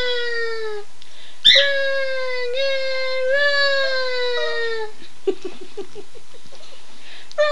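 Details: Howling from two pet dogs triggered by the owner saying "Run Guy run": several drawn-out howls, slightly rising then sliding down, ending in a run of quick short whimpering yips.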